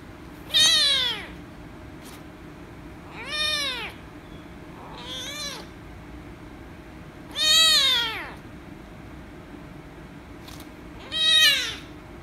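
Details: Angry rescue kitten meowing loudly when petted, indoors; five harmonic-rich, downward-bending meows spaced irregularly over twelve seconds, with quiet gaps and faint clicks between them.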